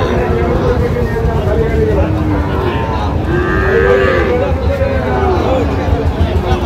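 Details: Young Sahiwal bull calves at Ranigonj haat, a twice-weekly cattle market in Dinajpur, Bangladesh; several short, rising-then-falling moos over six seconds, partly overlapping speech, crowd noise and a steady low rumble.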